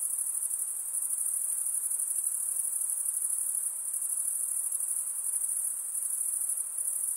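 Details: Insects at night form a continuous shrill, rapidly trilling wall of sound, very high and even in loudness throughout, with only a faint hushed background beneath it.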